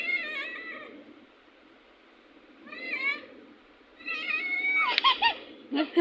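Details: Playing domestic cat giving a series of wavering, whiny meows, short and separated by pauses at first, then a longer, busier run of strained, rising-and-falling cries with abrupt loud bursts toward the end.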